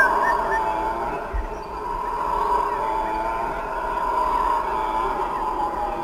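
Howler monkeys roar in a deep, continuous, guttural chorus that swells and holds without a break.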